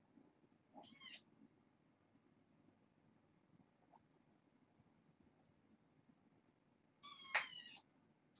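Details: Domestic kittens from a foster litter of six born August 29, indoors at bedtime: two high, thin, wavering meows, one near the start and a longer, louder one near the end, with quiet room hum between.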